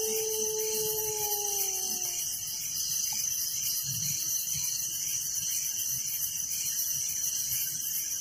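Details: Crickets chirping at night in a village: a dense, unbroken high shimmering chorus with steady layered trilling throughout, while a drawn-out descending whine, possibly from a dog, sounds over the first two seconds.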